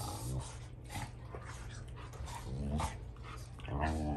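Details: Older Rottweiler dad Fluffy argues with his young son Junior over a toy, teaching him he is not the boss; rumbling growls swell into short, tonal snarls near the end, with faint human voice in the background.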